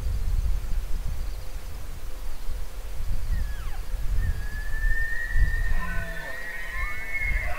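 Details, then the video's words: Elk bugling: after a faint gliding whistle, a long high whistled note rises and holds, breaking into wavering squealing tones near the end, over steady low rumbling wind noise. "Elk Bugling"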